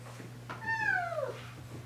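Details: Playful kittens in a household group of cats, where a fight broke out after Totoro pestered Mocchi; a single drawn-out meow, clear and harmonic, sliding downward over about 0.7 seconds, with a steady low electrical hum indoors.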